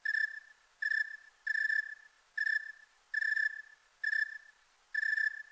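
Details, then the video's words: Snowy tree cricket calling in a clean, high-quality recording. Pure, even chirps at a steady mid-high pitch repeat at regular intervals, about seven in five seconds. Each chirp is a short pulsed trill, with no other sounds. "The Snowy Tree Cricket"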